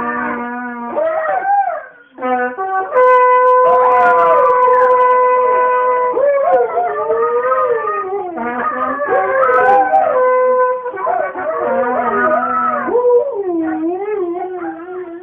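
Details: Huskies howl in long wavering, sliding notes, singing along to steady blasts from a bugle.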